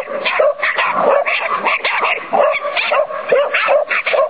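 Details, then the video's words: During a training session, Irish Terriers named Sonny and Jerry let out quick sharp barks mixed with whiny yips, coming in short bursts with brief gaps between them. "irsky terier (irish terrier) - sonny a jerry vycvik"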